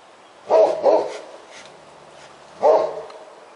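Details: Roxy, a Great Pyrenees, barks at a black bear she has chased up a tree beside a house after a commotion at the trash barrel; three deep, hoarse barks, two close together then one more after a two-second pause.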